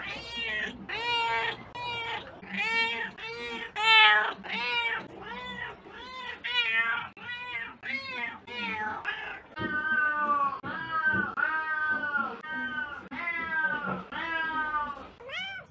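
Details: Cat meowing over and over, roughly twenty loud, harmonic meows in steady succession, each short and slightly falling, some more drawn-out and plaintive toward the end.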